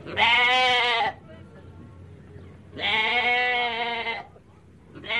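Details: Two loud, wavering goat bleats, each roughly a second long and rich in buzzy overtones, separated by a quiet gap of low background hiss, with the start of a third at the end.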